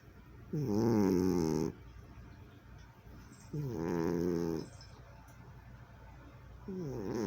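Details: A sleeping cat snores in a steady rhythm, low buzzy rasping breaths lasting about a second each, three snores spaced around three seconds apart, indoors, recorded in 2020.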